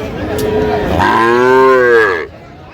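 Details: Sahiwal calves at a cattle market in Madaripur, Bangladesh, in January: one loud drawn-out moo, rising then falling, with rich harmonics, about a second and a half long, over faint background chatter.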